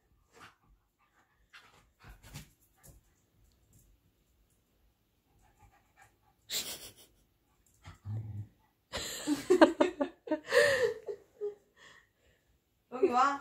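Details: Pet dog named Longi acting up playfully indoors to get attention: soft sniffs and breaths early, then loud snorting bursts and a run of squeaky, whiny grunting sounds midway, ending with another brief whine.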